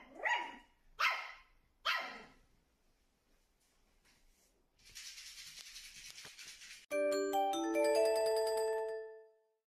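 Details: Shih Tzu named Mei Mei, looking in a mirror and believing another dog is on the other side, gives three short, sharp barks about a second apart. A burst of hissing noise follows, then a bright, tinkling mallet-percussion jingle.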